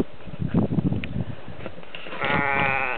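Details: Sheep on a croft clamouring for their feed at about 8:30 in the morning on March 20, 2008, the first day of spring; shuffling and thumps, then a wavering, drawn-out bleat rising over the noise near the end.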